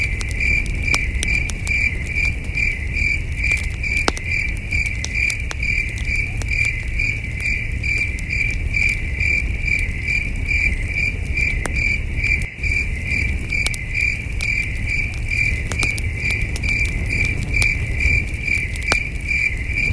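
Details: Crickets chirping far off through a night by a campfire under the stars: unbroken high, evenly spaced chirps, around two per second, overlaid with frequent crackling and snapping flames and a low, steady rumble.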